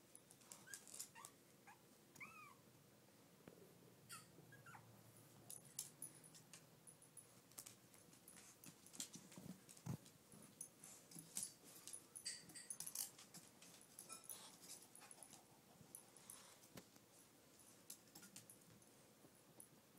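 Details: Brussels Griffon, Shih Tzu and Miniature Poodle mix puppies give a few thin, high whimpers that bend up and down in the first seconds, then mostly rustling, soft scratching and scattered clicks with little vocal sound.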